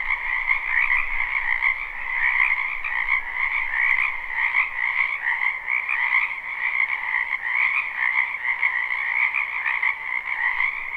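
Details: Spring wetland frogs in full chorus, a continuous wall of fast, pulsing croaks layered at two pitches, gently swelling and fading without pause, with a soft low rumble at the start.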